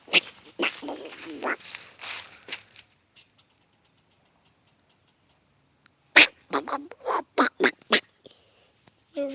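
A squirrel gives a quick run of sharp, raspy chucks after a person speaks.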